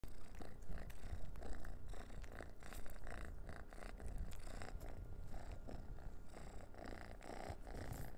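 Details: Noah, an orange pet cat, purring while playing with a dehydrated minnow treat before eating it; low steady rumbling throughout with frequent scratchy rustling and handling noises over it.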